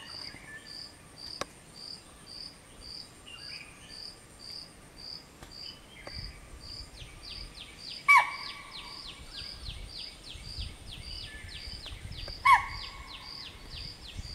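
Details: A chital (spotted deer) gives two sharp, shrill alarm barks several seconds apart over steady cricket trilling at about 5:30 am, warning its family of a person on a machaan as they try to reach a lake to drink.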